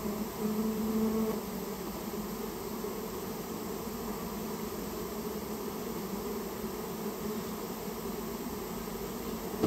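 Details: Colony of rare Japanese honey bees removed from inside a storehouse; continuous low, even droning from many bees, clearest in the first seconds, then a flatter wash of buzzing.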